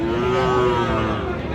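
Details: Cattle at a livestock trade in Bangladesh on 3 March, where a Faridpur farmer buys bulls from Dinajpur along with a Friesian heifer: a sustained, steady, harmonic-rich moo running through the whole stretch over dense background noise.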